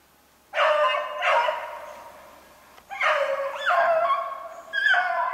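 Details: On a March 2016 snowshoe hare chase, beagles let out two pairs of strong, sustained bays with a bending, wavering pitch, separated by a short lull.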